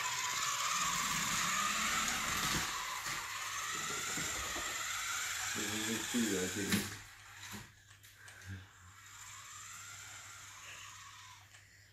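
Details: A remote control car's high whining motor dominates indoors, with faint voices and a few knocks as it fades.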